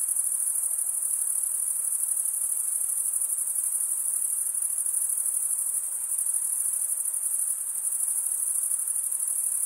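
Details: Crickets stridulating, males rubbing one wing's toothed vein against the other, in a dense, unbroken high-pitched trilling chorus that holds steady throughout with no other sounds.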